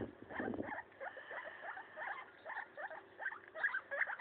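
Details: Pet guinea pig named Maso chewing up a leaf, giving quick upward-sliding squeaks in an uneven series after a brief rustle at the start.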